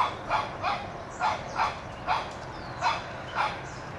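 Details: One-year-old Shih Tzu puppy Toby yaps at a whitetail deer, trying to drive it out of his yard; short bright barks come in pairs about every half second, with a faint high whine between.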